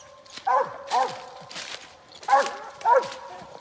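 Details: Hunting dog barking at a gray squirrel it has found in Mississippi: four sharp, ringing barks in two pairs, separated by a short pause, with faint rustling underneath.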